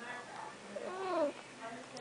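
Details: Talking house cat Snuggles makes one short, wavering meow that swoops up and drops away, with faint human voice murmurs around it indoors.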